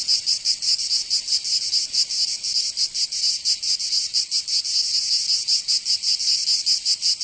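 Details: Cicadas singing in summer in Provence, southern France: a dense, dry buzzing chorus with fast rasping pulses, several insects overlapping so the rhythm stays uneven throughout.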